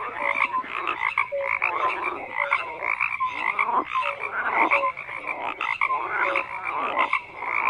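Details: Frogs croaking in a dense chorus, overlapping calls stacked in bands, short pulsed croaks and brief tonal notes repeating every second or so, with no other sounds.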